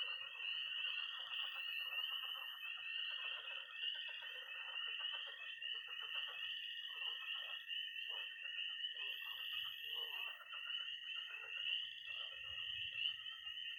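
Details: Night frog chorus from early spring in Missouri, tree frogs peeping and toads trilling in and around a pond: a steady high trill with dense rapid pulsing beneath it, and a faint high whine running throughout.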